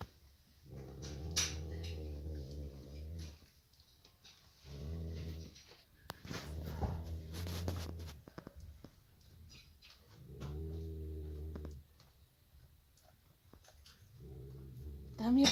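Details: Male Nubian goat snoring loudly while asleep in a stable: low, rumbling, harmonic snores lasting two to three seconds each, repeated about every five seconds, with faint clicks and rustling between breaths.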